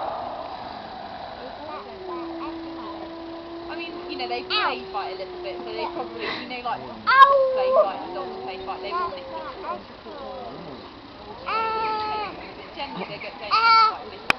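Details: Wolf pack howling together in an old recording: one long, steady low howl that drops at its end, then several voices join with overlapping higher, wavering howls and sharp yips, rising and falling in a layered chorus.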